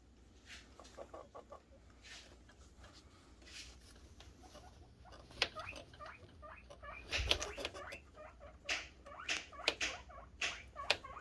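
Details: Guinea pig boars calling happily in anticipation of food, with scattered short squeaky notes that grow busier halfway through, mixed with sharp rustling and clattering sounds.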